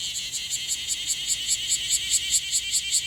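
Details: Newly emerged bear cicada in Okinawa, possibly on its first day as an adult, still dusted with gold and its wings not yet fully clear, singing unsteadily: a loud, high, buzzy pulsed song, about two or three pulses each second.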